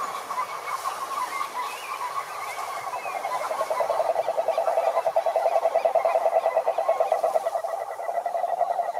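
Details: Toad calling: mixed croaks at first, then from about four seconds a loud, even run of fast throaty pulses at a mid pitch, continuing to the end over a quieter background chorus.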